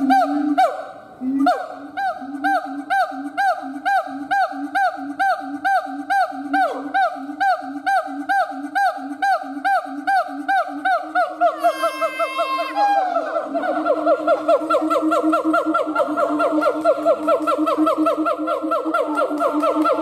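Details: Male siamang gibbon howling: a fast run of repeated harmonic hooting notes, about two per second, climbing into a burst of high rising squeals near twelve seconds, then a dense, steady wail of overlapping calls.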